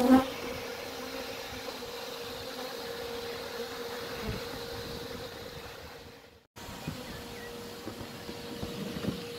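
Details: Honey bee colony from an old cottage chimney in Shropshire, England, being vacuumed out for relocation: a continuous buzzing hum with a steady tone, briefly cutting out about two-thirds through, then resuming.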